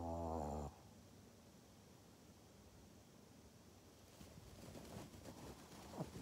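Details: Pug named Maria, filmed in Japan on 14 November 2020, opens with a brief nasal, harmonic-rich grunt of under a second, then only soft room noise and faint rustling follow.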